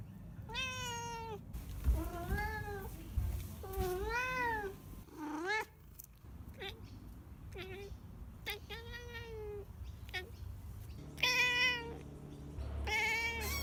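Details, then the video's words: House cat producing a string of weird meows, some long and arched, others short, squeaky and rising, spaced every second or two over a low indoor hum. "Weird Meows/Sounds My Cat Makes"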